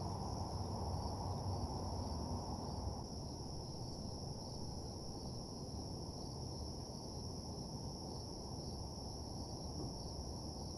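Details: Crickets at night in an empty parking lot ambience give a sustained high trill in two steady bands; a low rumbling background drops slightly in loudness after about three seconds.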